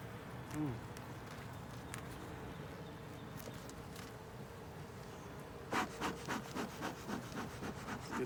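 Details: Honey bee colony in a ten-frame deep hive with a honey super, opened for inspection: a low, steady buzzing hum throughout, with a run of dry tapping and scraping knocks from about the sixth second onward.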